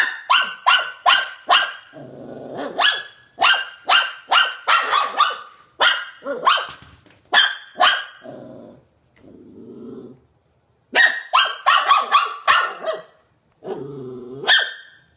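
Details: Barking Shih Tzu: fast strings of shrill yaps, about two and a half per second, alternate with low grumbling growls and short pauses before more excited barking.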